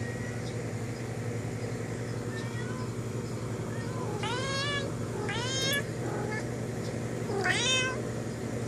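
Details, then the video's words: A cat talks to a friend outside the window in a quick run of drawn-out, bending meows, three strong ones within four seconds and softer chirps between, all over a constant low rumble. "Cat talks to friend outside window"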